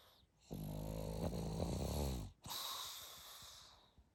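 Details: Pug sleeping and snoring: a long, rough, rattling inhaled snore lasting nearly two seconds, then a breathy hissing exhale with snuffly noise.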